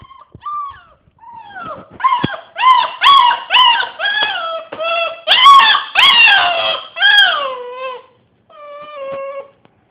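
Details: Pet dog howling indoors in a long run of pulsed, wavering howls, about two per second, rich in harmonics, swelling and then sliding down into a drawn-out whining tail after a short pause.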